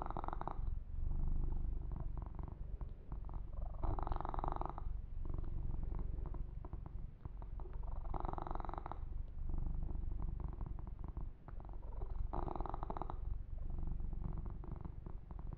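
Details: Pet kitten Yumak, male, purring steadily through a long massage and fur-grooming session; deep, even rumbling throughout, with recurring swishing brush strokes every four seconds or so.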